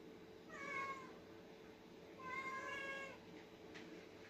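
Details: Meowing from two house cats, orange Oyen and white Putih, at feeding time: two long, clear, tonal meows about two seconds apart, each bending gently downward at the end, with a soft tap afterward.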